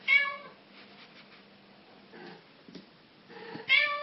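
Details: Meows from a black, yellow-eyed cat. A short meow opens, followed by a low steady hum and soft faint sounds, then a louder meow at the end.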